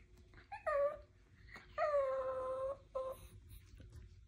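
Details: A short Chihuahua whimpers indoors while struggling to climb onto a short bed: three high, tonal whining cries, the middle one longest at about a second, each with a gently falling pitch, separated by brief pauses in a quiet room.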